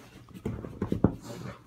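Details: Moya, a pet mastiff called a horse-dog and a hunter of all things fuzzy, gives short low whimpering pants and grunts indoors in a small room, a few quick breathy bursts in a row.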